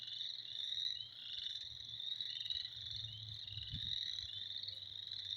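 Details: A mass of frogs calling in spring creates a steady, high, buzzing-trilling chorus, with a few low thuds and a faint hum in the background.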